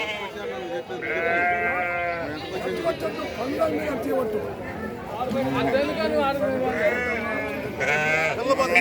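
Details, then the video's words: Sheep at the Saturday sheep and goat market in Chillakallu village, Jaggayyapet mandal, NTR district, giving wavering, quavering bleats in short bursts amid steady Telugu chatter of traders haggling over prices. "గొర్రెలు మేకలు సంత"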